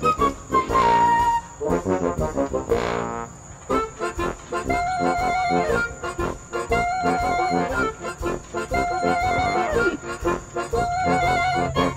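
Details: Loud brass-led music with trombone-like melodies plays throughout, with a constant high electronic whine above it.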